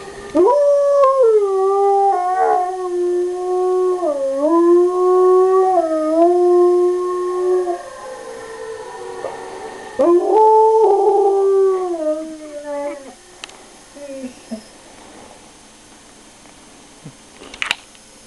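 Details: Fuzzball, a pet dog, joins an mp3 of wolves howling. Loud sustained howls waver and dip for about seven seconds, soften, then a fresh rising howl bursts out at ten seconds and trails into short yelps before quiet.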